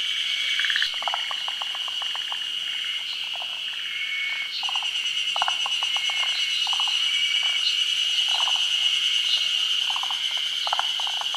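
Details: Forest green tree frogs, a species endemic to Japan, gathered for midday spawning in the rainy season on branches over still water. Short clustered bursts of rapid clucking pulses repeat irregularly beneath a steady, shrill high-pitched insect-like drone.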